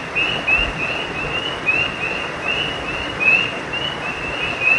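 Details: Frogs at a creek after dark give thin, high chirps in irregular bursts, a few with quick upward slides, over even background hiss, plus one low thump near the start.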